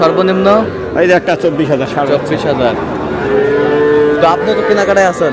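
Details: Young bull calves for sale at a busy market, bought by a farmer from Kushtia: a level, sustained moo of about a second comes late, mostly buried under men calling out numbers and talking.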